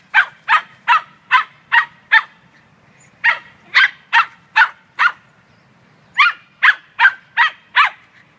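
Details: Scottish Terrier Munchkin, a female dog at a dog run on 9 May 2013, chases squirrels. Rapid sharp barks come in three bursts of five or six, separated by short pauses.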